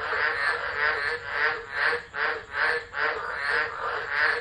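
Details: Frogs calling en masse during a tropical low at Driver, Northern Territory, Australia, 13 December 2013, phone left recording: thick rasping croaks surging in regular waves about every half second.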